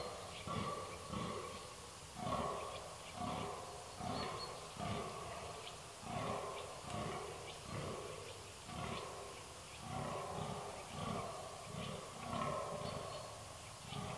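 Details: Red deer on 13 October 2019: a long series of deep, rhythmic grunting roars, each burst about half a second apart, coming in rolling groups with brief pauses between them, low and guttural throughout.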